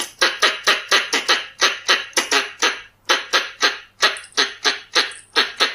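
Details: Lure call of Pallas's squirrel (red-bellied squirrel): quick, grating chucks in a rapid run of about three per second, broken by one short pause midway.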